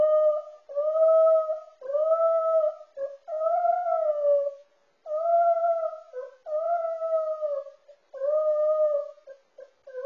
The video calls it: Yorkie Poo Dog Singing On Camera